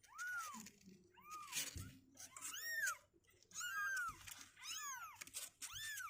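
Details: Two-week-old kittens, sixteen days old, whose legs are getting stronger and who refuse to stay in their box, give a run of high arching meows, six in about six seconds, each rising then falling, with soft shuffling between.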